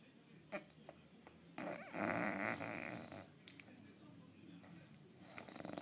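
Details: English Bulldog snoring during a long nap indoors; one loud, rough, rasping snore of about one and a half seconds, with faint shorter breaths and small clicks before and after.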